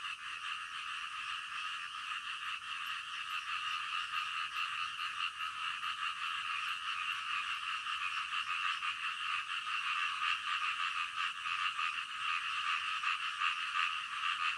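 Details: A dense nocturnal frog chorus, overlapping croaks merging into a continuous pulsing drone with no pauses.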